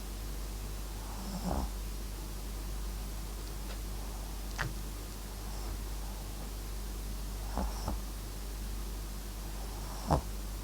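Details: Sleeping Papillon–Japanese Chin mix named MAX snoring, with several rough, fluttering snore bursts spread unevenly through the stretch, some soft and one sharper near the end, set against a constant low background hum.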